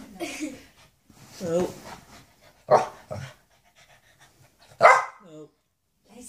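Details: Shih Tzu Louis reunited with his mother Lacey after seven months apart, Lacey not recognising him at first; a few sharp barks around the middle and near the end, mixed with a woman's speech and short voiced tones.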